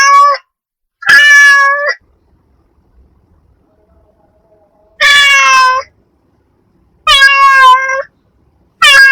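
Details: Domestic cat meowing in short, clear bursts: a brief meow, then three longer drawn-out meows separated by silent gaps of one to three seconds, each with a bright, harmonic-rich tone in an otherwise quiet setting.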